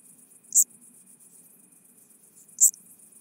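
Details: Chabrier's marbled bush-cricket singing at Arzo, Switzerland, 4 August 2023. Two brief, sharp, very high chirps about two seconds apart over a faint continuous high-pitched hiss.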